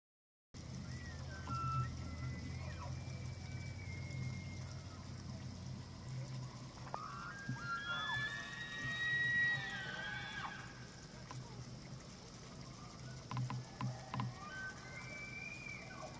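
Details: Bull elk bugling during the rut on an evening of 24 September 2024 at Slippery Ann Elk Viewing Area, Charles M. Russell National Wildlife Refuge, Montana; several high whistled bugles rise and glide, over low rumble and background noise.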